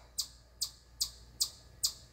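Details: Chipmunk perched on a corner of a deck at camp, chirping nonstop and seemingly unbothered by shouting: sharp, high, clipped chirps repeated evenly about every 0.4 seconds, five in a row, over faint low hum.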